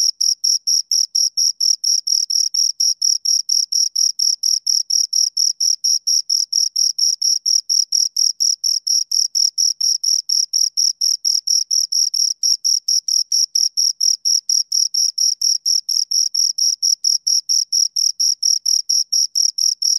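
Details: Two crickets keep up a long, regular run of shrill, high chirps, several per second, steady in loudness from start to finish, with nothing else audible.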